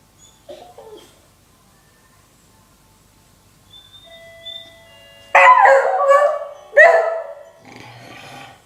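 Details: Nine-year-old beagle named Whiskey, irritated by the doorbell, gives a soft whimper, then two loud rough barking howls in quick succession with a short drawn-out tail.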